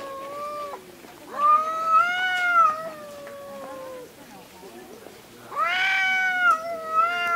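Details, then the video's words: Cats in a fight screaming at each other: sustained, whining yowls that rise and sag in pitch, several overlapping drawn-out wails with short pauses, harsher and louder toward the end. "Cats Fight & Screeming"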